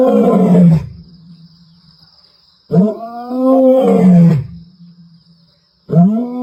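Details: Ntsevu lioness giving a powerful roar on 29 March 2024: deep groaning calls that start with a sharp onset, hold, then sink and fade, three in a row about three seconds apart, with a faint constant high tone behind.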